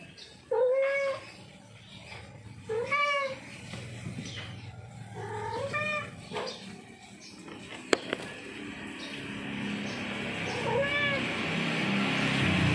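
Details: Domestic tomcat in heat calling a female: four wavering meows, loud at first then fading, spaced a few seconds apart, followed by rising hissy background noise and a sharp click near the middle.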